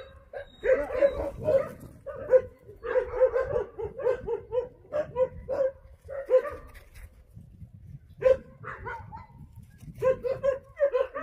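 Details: Jindo dog met on Jindo, Korea, barking in short clustered bursts of sharp, mid-pitched yaps separated by brief pauses, with a few isolated single barks between, outdoors with faint background noise.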